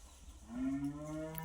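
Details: Native village cow, first-time mother with a newborn calf: a short low moo rising into a steady harmonic tone lasting about a second.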